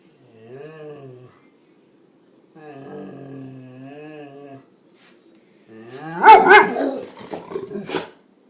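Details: A pet dog whose barking brings on sneezing fits: two drawn-out, wavering tonal whines or growls, each about two seconds long, followed by a burst of harsh, noisy barks or sneezes near the end.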